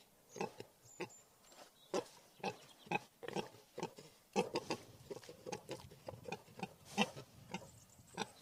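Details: Wild boar grunting in short, coarse pulses at an uneven pace, with faint high bird chirps heard behind them.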